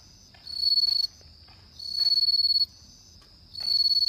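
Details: A bell cricket sings at night in autumn, giving high, clear, rapidly pulsed bursts of roughly half a second to a second, with each burst swelling in volume. Three phrases are spaced about one and a half seconds apart.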